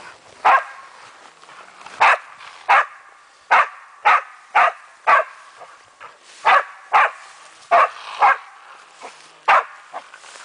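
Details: Meya, a German wachtelhund, barking while playing with a raccoon dog: sharp, loud barks repeated roughly every half second to second, about a dozen in a steady series over quiet outdoor background.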